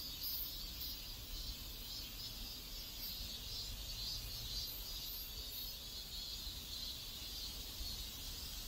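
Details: Cicadas buzzing in a South Korean neighborhood: a bright, steady shrill chorus with soft rhythmic pulsing over a quiet low rumble.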